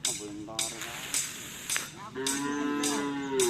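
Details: Madura cattle at karapan sapi racing practice on the Asemanis field in Pamekasan, ahead of the Gagak Rimang team anniversary: a drawn-out, steady harmonic moo in the second half, after sharp clicks and knocks.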